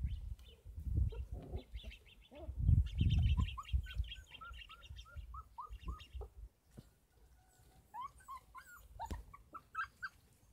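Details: Kangal puppies, 33 days old, at a dog farm: heavy low rumbling and handling noise in the first seconds, then a run of short, high, arched whimpers and squeaks, a second cluster of rising-falling whines near the end.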